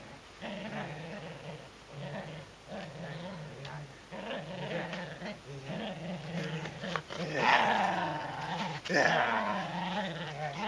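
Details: Shetland Sheepdog named Sora growling in low, rumbling, harmonic stretches that swell and fade unevenly, turning louder and harsher toward the end, over a steady background hiss.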